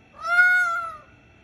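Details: Red fox near a house at a bedroom window gives a single drawn-out scream, tonal and slightly arched, lasting under a second.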